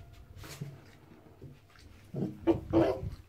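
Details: Tiki, a female pet fox, indoors in a bathroom, defending a bar of soap she found and has been eating. Quiet rustling gives way to a quick run of short, harsh growling and whining bursts near the end.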